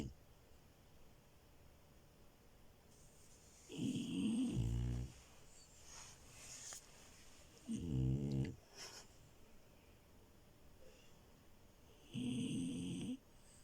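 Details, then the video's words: Sleeping French Bulldog puppy Milo snoring in bed, three separate rumbling snores spaced roughly four seconds apart, each low and raspy with a soft breathy exhale between them, indoor quiet. "Frenchie love and her snores"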